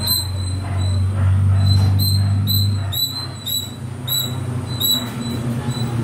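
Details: Little squirrel climbing in the trees; quick, evenly spaced high chips, about four per second, over a low droning hum.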